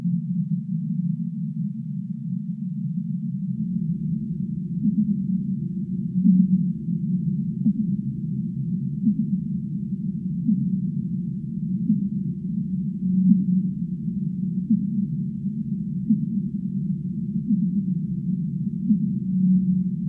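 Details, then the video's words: Whale song offered as relaxing sleep sounds: soft low moans and short tonal notes over a steady deep rumbling wash, the band thickening after a few seconds, with no other sounds. "5 minutes of relaxing Whale sounds"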